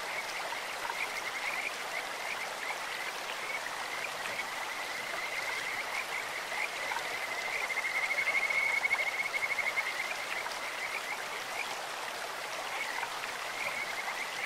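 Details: Kajika frogs calling from a clear stream: soft high notes recur throughout, with one stronger rapid trill of about two seconds near the middle, all over a constant wash of flowing water.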